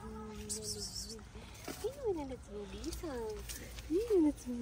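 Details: Hungry homeless cats in a Moroccan mosque garden, a calico among shy friends; a run of arching, nasal meows rising then falling, roughly one per second, with brief overlapping cries and a soft outdoor hum behind.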